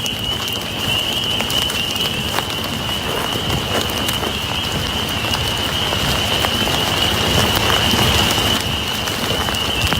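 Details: Males of Eastern American toads calling to females at a breeding site, possibly shared with spotted salamanders, give a steady, high, unbroken trill that runs throughout with a rain-like patter.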